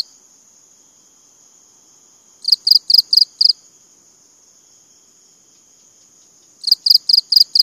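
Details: Cricket chirping in bursts of about five short, high pulses, with long quiet gaps between bursts and a steady faint high hum in the background.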